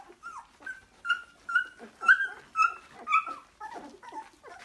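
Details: Labrador Retriever puppies offered for sale in Delhi, indoors in a small room; a rapid run of high, tonal whimpering yelps, about two per second, rising and falling, some strained and harsh toward the end.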